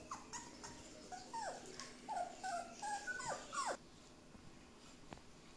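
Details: Border Collie puppies during home socialisation giving high, thin whimpers that slide downward, about six short whines in bursts over several seconds, then a quiet room with one faint click.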